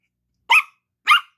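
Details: Gracie, a Yorkshire Terrier puppy, barking for her toy while playing with a ball indoors: two short, sharp high yaps about half a second apart, then quiet.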